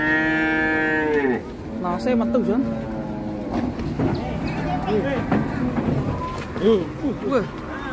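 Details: Rampaging black sacrificial cow coming down from a truck at Siyono Harjo market: a single strong moo of just over a second, falling at the end, followed by continuous men's voices and crowd bustle.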